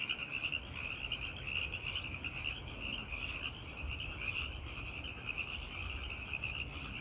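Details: At night, many male tree frogs call at once to attract listening females, their high, rapid pulsed notes blending into a continuous ringing shimmer over a soft low rumble of background noise.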